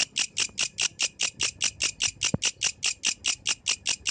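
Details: A yellow grasshopper sings at night: high, hissing buzzy pulses repeated in a steady rhythm.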